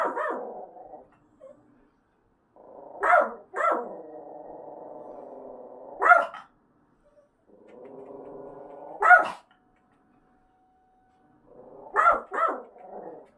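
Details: House dog in an apartment barking back at a staged fire-inspection siren from a wall speaker while looking at it: single or doubled sharp barks every few seconds, between them a steady droning siren tone.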